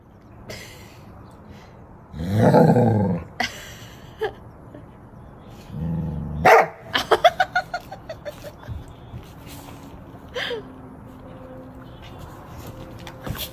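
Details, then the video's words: A happy dog singing: a drawn-out, moaning, harmonic howl lasting about a second, a second shorter moan, then a quick run of short, sharp yips, followed by a quiet room. "Dog is so happy he started singing song"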